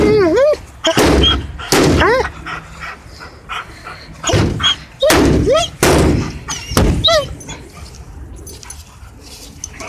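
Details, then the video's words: German Shepherd Jager during tug play gives high, wavering whines and short yips, several looping upward then falling, between loud broadband thumps and bursts of noise, with quieter stretches near the end. "Jager Loud Noises and Tug"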